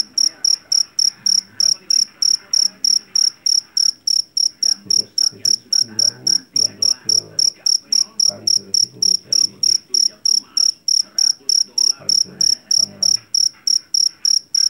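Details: A captured jangkrik Jawa from the rice fields, a field cricket famed for its ringing voice, chirps on without a break for fifteen seconds. The shrill pulsed chirps come about three a second, with faint low background sounds.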